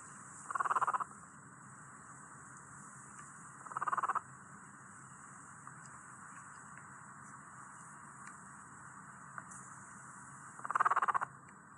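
A guinea pig gives three short, vibrating purrs, each lasting under half a second, with long quiet gaps between.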